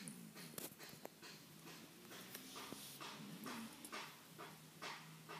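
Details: Shiba Inu named Ken, a pet two weeks in its new home, asleep with eyes rolled back showing white while snoring: soft, breathy, noisy bursts repeat roughly twice a second, with a faint low steady hum in the room.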